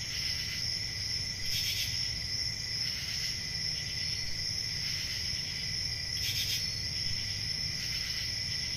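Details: Summer night crickets in the countryside: a dense, steady high-pitched chorus of trilling, with short louder bright pulses every few seconds and a faint low hum beneath.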